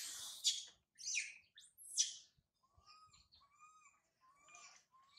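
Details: Baby monkey Sario cries loudly high in a tree after her mother Sarah leaves her. Three harsh, noisy outbursts are followed by a series of thin, tonal, whistled wails, each rising slightly and then falling, repeated with short gaps.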